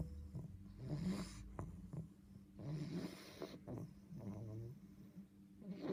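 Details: Sleeping English bulldog puppy called Boofie snoring: a series of short, rattling snorts and wheezy breaths repeating roughly every second, quiet indoor background with a faint hum.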